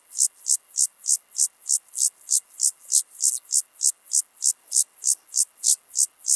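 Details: Leogang, Austria, early September 2023: a club-legged grasshopper (Gomphocerus sibiricus) gives a loud, rhythmic series of hissing buzzes, slightly slower, a little over three per second, around twenty strokes in steady succession, high and sibilant.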